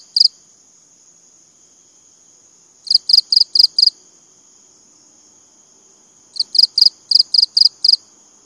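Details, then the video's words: A cricket gives quick, high-pitched chirp trains of five or six pulses, separated by pauses of several seconds, over a thin continuous high whine. "BUNYI CENGKERIK"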